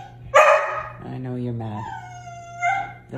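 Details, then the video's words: Dog said to be mad that the plants are back barks once sharply, then a stretch of low voice, then a long, drawn-out tonal whine that wavers, all over a steady background hum. "Dog have so much to say about plants"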